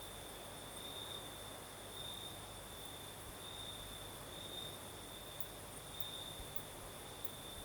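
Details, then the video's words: In the Crimean south at night, crickets keep up a shrill, level trill that flares in brief brighter phrases every second or two, backed by the constant hush of a night breeze and faint high ticks near the end. "Звук ночи. Юг. Крым. Сверчки поют. Ночной бриз."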